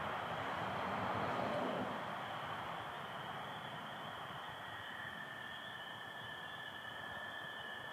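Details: Spring peepers calling with American toads on a Michigan night, 24 April 2025, under stars with some overcast; a dense, steady high-pitched chorus throughout, a lower sustained trill joining about halfway, and a broad rumbling noise swelling early on.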